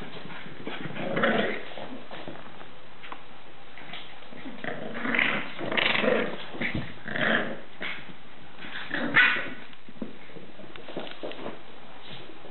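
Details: Staffordshire Bull Terrier puppies at a breeding kennel, giving short throaty growls and whining whimpers in bursts near one, five to seven and nine seconds, with soft thumps and scuffling indoors between them.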